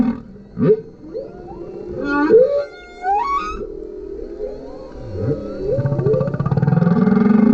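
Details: A male humpback whale sings underneath a kayak: low, tonal moans and quick upward and downward swoops, then brighter harmonic wails and a long rising groan that ends in a throbbing, pulsed buzz.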